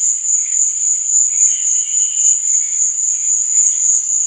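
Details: Cricket chirping at night: a steady, unbroken high-pitched trill with a faint wavering shimmer in the lower treble and no other sounds.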